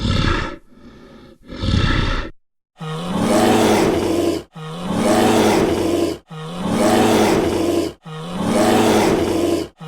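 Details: Brown bear calling: two short breathy huffs, then four rough, harsh roars in steady succession, each nearly two seconds long with a buzzing low undertone.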